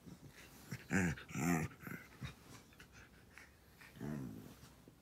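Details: Border Collie named Natsu stretching indoors, giving drawn-out groaning, whimper-like vocal sounds: two strong voiced bursts close together near the start, a few fainter breaths, then one more softer groan; quiet room background.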